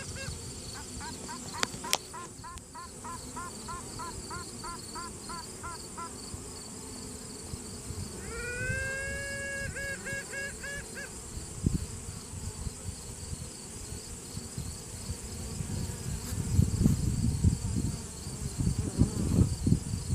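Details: Honey bee piping inside a hive during a routine check, virgin queen asserting dominance with a possible answering rival queen, cell phone recording: quick run of short quacking toots, later a longer tone and pulsed toots, then hive hum with handling noise.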